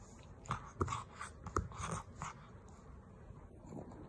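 A pug gives a few short, breathy, pig-like snorts and grunts in a quiet room.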